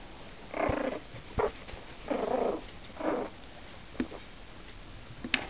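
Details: Four-week-old Yorkshire Terrier puppies beginning to play indoors; short squeaky whines and grunts in bursts of about half a second, spaced roughly a second apart, with quiet sniffing and shuffling between them.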